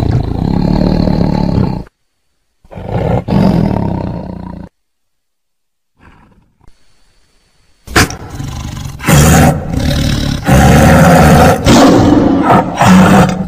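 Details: Tiger roaring in deep, rasping bursts with a low droning base, interrupted by two abrupt silent breaks before a longer run of loud, throaty roars with sharp stops and starts.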